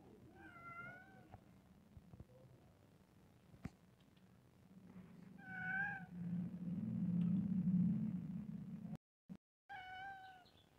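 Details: Two pet cats indoors; clear harmonic meows near 0.7, 6 and 10 seconds, each rising then falling, separated by a low rumbling background noise that swells midway.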